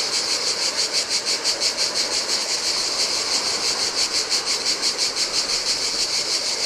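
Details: Shrill, throbbing buzz of cicadas singing in hot weather at a deserted Greek island beach on the Adriatic, pulsing evenly about three times a second while small waves wash the sand.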